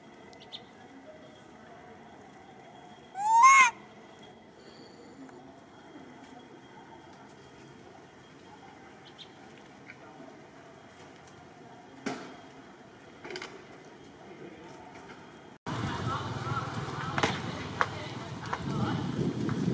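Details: A young male monkey on Phnom Bros mountain, Kampong Cham Province, Cambodia, calling while searching for his missing grandmother, gives a single brief, high, wavering coo that sweeps up and falls away.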